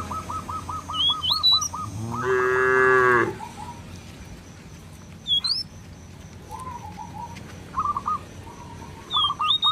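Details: Single drawn-out moo from a cow roaming a village field, calling the herd back to the barn, set among busy bird chirping, short trilled phrases and sharp rising whistles before and after.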